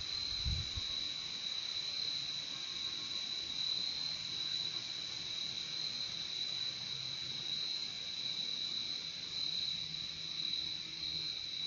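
Crickets fill the night with a steady, high, ringing trill that never pauses.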